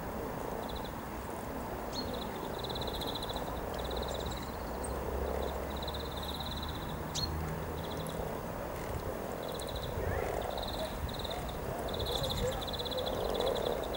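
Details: Frogs gathered in their hundreds to mate by the river at Cow Tower, Norwich, on 7 April 2013, make a continuous low murmuring chorus, topped by repeated high pulsed trills and a few sharp clicks.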